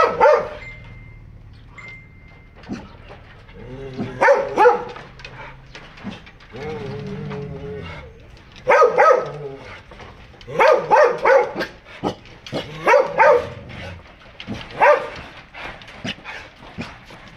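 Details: Dogs in a home kept with many Western-breed dogs, barking in short bursts of several sharp barks separated by pauses of one to two seconds, with faint talk and background music.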